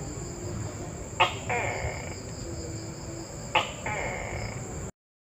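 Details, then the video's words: Tokay gecko call: two loud two-part calls about two and a half seconds apart, each a sharp clicking onset followed by a drawn-out nasal tone, over a steady high electronic hum and low background noise. "Suara Tokek Bebas Intro"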